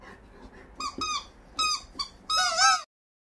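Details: Labrador Retriever giving a run of high, squeaky whimpers in three bursts, the last one longest and wavering, heard indoors.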